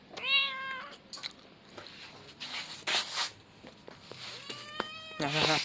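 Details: Baby male cat with one clear meow at the start, then quieter mewing and a short squeaky chirp at the end, among bursts of rustling and clatter.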